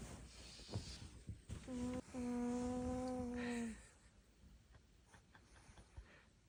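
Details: Sleeping old Maltese with dementia snores with one sustained, even, hum-like tone lasting about two seconds, framed by faint breathy rustles and quiet room noise.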